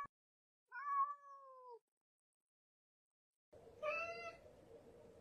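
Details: Domestic cat giving two meows: a drawn-out, gently falling mew lasting about a second, then after a long silence a shorter, brighter meow over a faint hiss.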